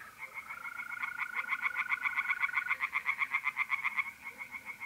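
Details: Rapid, evenly spaced croaking pulses from tree frogs at a north-east Italian pond in mid-April darkness, building for about four seconds, with a sustained mole-cricket trill running alongside.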